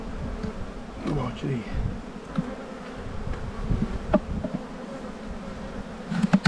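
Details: Honey bees humming during a spring buildup hive inspection in the bee yard, 7-9-22. A steady low droning buzz fills the clip, with brief faint voice fragments and a few soft knocks.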